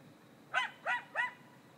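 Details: Coyotes in Griffith Park giving three short, sharp arched yips about a third of a second apart, each rising then falling, over a quiet background.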